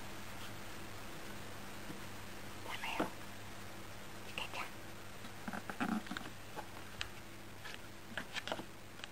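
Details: Yukke, a pet cat, indoors at night on a cat tower, bored and wanting attention before bed; a few short, soft low calls amid whispering human voices and rustling, over a steady low room hum.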